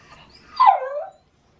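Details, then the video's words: Early-morning call of a Shiba Inu during autumn courtship season, noisily asking to go for a walk. One tonal wail dips from a higher note to a lower held tone over about half a second, faint room hiss behind. "柴犬貘 恋の雄たけび⁉"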